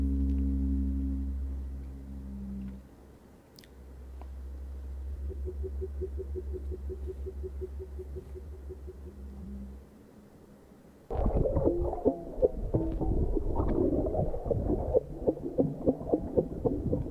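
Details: Playback of whale vocalizations from a science lecture on underwater sound: low, steady tonal moans with stacked harmonics for about ten seconds, then a burst of dense broadband pulsing and clicking.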